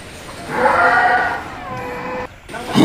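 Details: Enraged bull, worked up during training for a challenge, gives one drawn-out bellow of about two seconds: a strong, rough, harmonic tone that swells, holds, then fades. Music plays underneath and voices follow.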